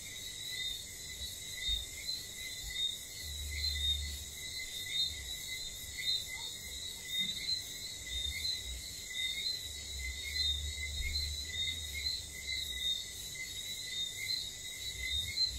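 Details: Night chorus of whistling frogs in St. Lucia with insect noises: brief bright whistles repeat roughly once a second from several callers over a continuous shrill insect hum, with soft low rumbles in the background.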